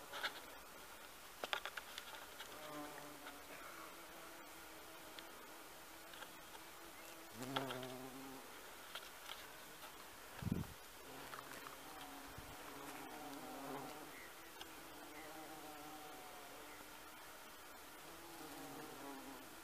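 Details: Bumblebee on honeysuckle in a garden, its low droning buzz coming and going in short bouts, louder around the middle, with scattered clicks and rustles.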